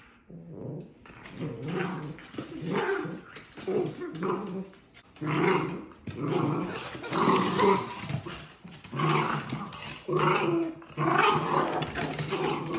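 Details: Dachshund puppies playing outside give rough, throaty growls and grumbles in bursts of one to two seconds, rising and falling in loudness almost continuously, with short pauses between bouts.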